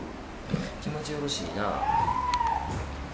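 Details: Spotted seal pup with white fluffy coat, hand-reared by staff at Futami Sea Paradise after its mother Wine died; a single drawn-out wailing cry rising then falling, preceded by low murmuring voices and splashy background noise.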